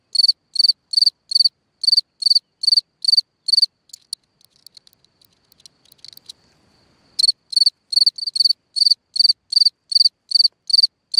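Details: Singing cricket at night beside its hole in the ground, sending out regular high trilled chirps about twice a second; the song stops for roughly three seconds of faint clicking and rustling, then resumes at the same steady pace.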